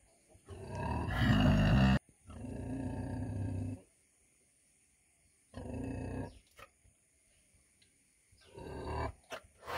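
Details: A 100 kg female pig gives loud, rough grunting bursts of one to two seconds, low and harsh, separated by short pauses, with faint clicks between calls.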